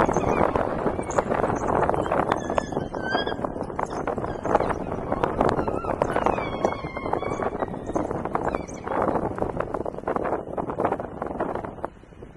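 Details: African wild dogs in the Chitembe area, October 2021, chirping: high, wavering twittered notes with bending pitch, clustered in the first half and again around the middle, over constant crunching, rustling and low rumbling noise.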